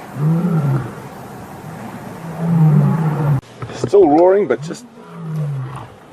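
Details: Birmingham male lions roaring while challenging the Matimba coalition during a takeover, 5 August 2015. Low, rolling roars fill the first half, followed by a brief higher, wavering voice and then one more low roar.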